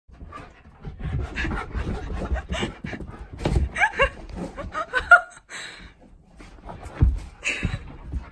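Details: Keyush, a Siberian Husky, having zoomies indoors, pants in rapid rough breaths with scrabbling and thumps, brief squeaky whines and a person's voice.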